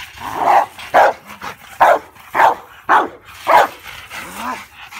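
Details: A 19-month-old male Rottweiler barks deep, loud and repeatedly, guarding his backyard against an intruder.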